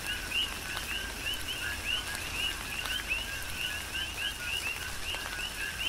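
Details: On Hawaii's Big Island, a chorus of coqui frogs sings through tropical rain. Crisp two-part whistles, low then sharply rising, tumble over one another at a quick pace against soft rainfall and occasional drips.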